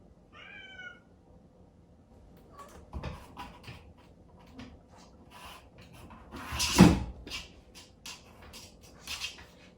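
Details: Exotic Shorthair kitten named Chatoran, born 15 April 2019, crying early in the morning after its 4 a.m. breakfast, kept in its own room and wanting its sleeping owner. One short, clear meow at the start, followed by knocks, thumps and a loud bang indoors.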